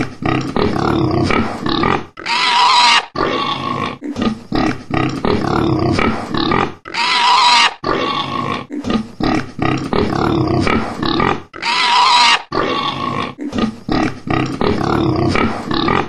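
A pig gives rough, snorting grunts in quick bursts, broken by louder harsh squeals.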